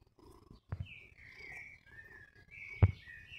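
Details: Mjaullo, a cat friend met again in summer after a year apart, purring in a low steady rumble, with two sharp knocks and birds chirping and whistling in the background.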